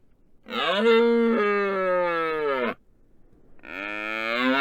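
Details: Red deer stag in the rut on the Isle of Rum, bellowing right over a road-laid microphone to attract females and challenge other stags. A long, rich, droning roar lasts about two seconds and then drops away. A second roar starts after a short gap.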